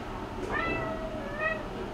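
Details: A female Bengal cat, newly at a shelter, gives a drawn-out meow with a sharp rise, then a second, shorter meow.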